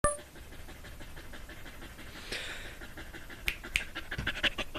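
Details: Dog panting with a noisy, breathy chuff, likened to a steam train; broadband rasping puffs with sharp clicks and bursts near the end, in a quiet indoor setting.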